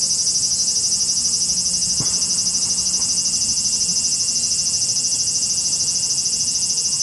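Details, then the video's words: Cicada noise from Japan: a piercing, tightly pulsed electric-sounding buzz, about three pulses per second, with a faint low hum and a brief click near two seconds in the background. "cicada sound Japan,cicada buzzing sound,cicada noise,cicada swarm,cicada scream"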